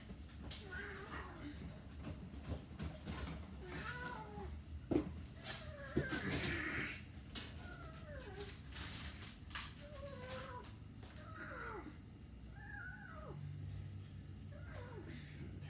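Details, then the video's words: A domestic cat meowing over and over, a string of short rising-then-falling mews with a few louder, drawn-out cries near the middle, set against a low indoor hum and faint voices. "The cat meow"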